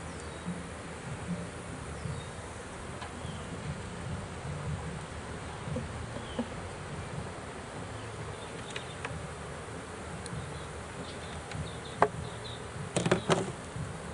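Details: Honey bees from a swarm caught in a swarm trap, as they are taken out of it: a steady low buzzing hum throughout, with a few sharp knocks and clicks near the end.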